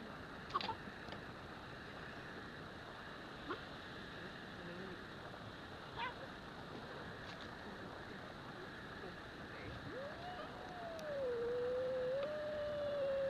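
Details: Scottish fold kitten and Singapura cat fighting indoors; after quiet scuffling and faint taps, a drawn-out tonal wail rises, dips and levels off over about three seconds, with steady low background hum throughout.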